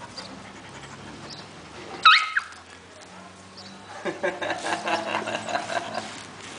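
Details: Two dogs, Teco and Biggie, meeting each other; one is a grumpy little dog. A single sharp, high yelp rings out, then a stretch of quiet, then rapid, breathy panting-like sounds with a faint background hum.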